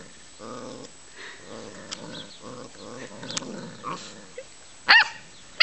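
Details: Puppies playing, with low rumbling growls and short grumbling vocal bursts through the first four seconds, then a sharp yelp near five seconds; faint background noise.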